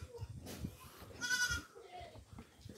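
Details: Kept goats about to eat coconut pulp: one short harmonic bleat rises out of a background of rustling, handling noise and faint voices.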